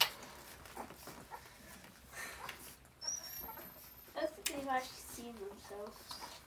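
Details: Hungry 3.5-week-old Vizsla puppies, tails wagging, give thin, high whimpers and squeaks, begging to be fed.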